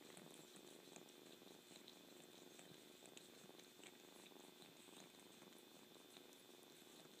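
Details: Continuous close purring from a kitten, a dense, even rumble with a faint bubbling, crackly quality throughout.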